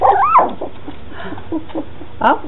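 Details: Red and black standard poodle puppies, two weeks old, in a litter: one puppy gives a high squeaky whine that rises and falls, then faint soft whimpers follow and a second short squeal near the end.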